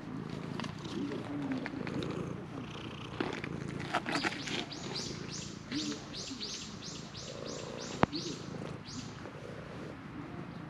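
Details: Stray shrine cat insistently demanding petting, captured on a GoPro HERO8: a continuous low purr underlies a run of about a dozen rhythmic swishing strokes midway, with a sharp click near the end.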